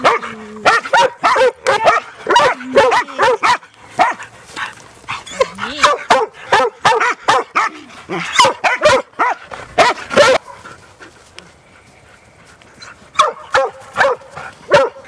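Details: Three Huntaway dogs on a Sunday walk near Christchurch, New Zealand, by the beach and the landfill. Bursts of quick, yelping barks mixed with whines continue for about ten seconds, then pause before a few more barks.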